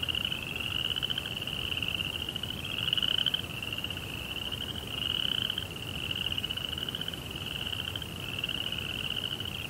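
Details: Night chorus of crickets in a Japanese zen garden setting, a continuous high rapid pulsed trill that rises and dips slightly in loudness every couple of seconds over low background rumble.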